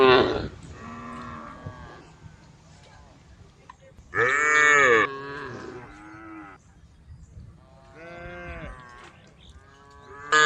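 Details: A group of tame female cows eating grass low in a series of drawn-out, nasal moos, one far louder and harsher than the rest; Cow.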